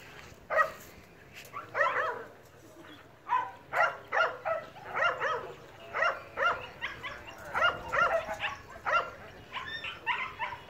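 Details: Phu Quoc Ridgeback dogs in Vietnam, a pack hunting rats just released, the pack leader finishing the prey; short sharp barks repeated roughly every half second to second, with faint background noise.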